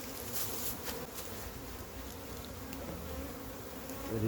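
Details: Buzzing honey bees around a massive wild hive being collected, an unbroken low drone of the swarm with clustered clicks and handling noises near the start and a louder surge at the end.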